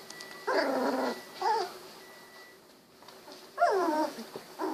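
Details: Sixteen-day-old Golden Retriever puppies: three bursts of wavering, whining whimpers, each under a second, with a faint steady tone in the background between them.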